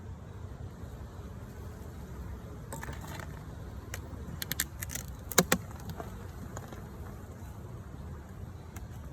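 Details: Steady low rumbling background with a few scattered clicks and a light jangle, with no animal calls.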